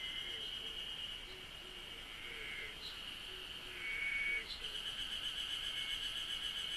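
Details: Cicada chorus in Japan: a continuous high ringing buzz holds level throughout. Brief tonal whistles sit below it, with a row of soft low repeated notes in the first half. It swells slightly louder just before the fifth second.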